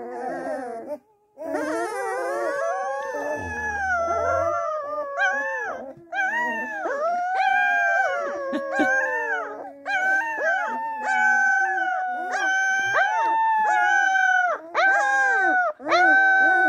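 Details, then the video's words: A chorus of Springador puppies howling, overlapping long quavering notes that rise and fall, broken into repeated drawn-out phrases with short gaps, plus a brief low rumble early on. "Howling Springador Puppies"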